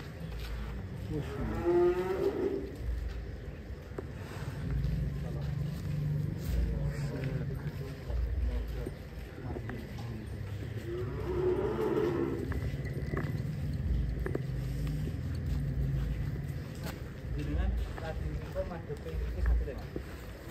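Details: Giant, heavily fattened contest bull being readied for a cattle show in Jakarta, Indonesia: two drawn-out, wavering moos, one early and one midway, under steady chatter from men nearby.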